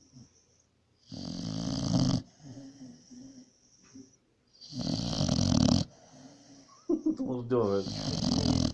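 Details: Sleeping pit bull named Pit snoring: harsh, low rasping snores come roughly every three to four seconds, with faint rumbling breaths in the gaps and a person's voice near the end.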